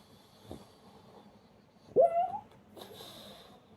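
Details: Pug dozing and torn between barking and snoring lets out one short, rising, whiny yelp after a soft snort, then wheezy breathing.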